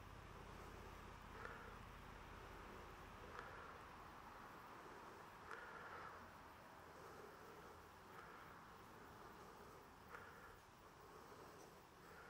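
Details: Bees buzzing on 28 September 2023: a dense, steady hum of many wings, with brief brighter whirring swells about every two seconds over a low rumbling background.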